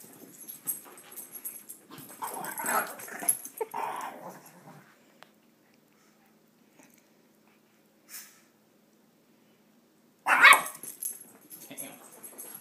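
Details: Playing Shih Tzu, one of two dogs: a run of gruff, breathy growl-grunts, then near silence, then a sudden loud strained yelp-like growl near the end.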